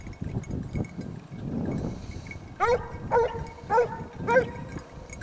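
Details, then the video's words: Basset Hounds of the French Rallye de l'Allagnon line on a scent trail; after rustling and footsteps, four clear ringing bays come roughly every half second. "Basset Hound siguiendo rastros"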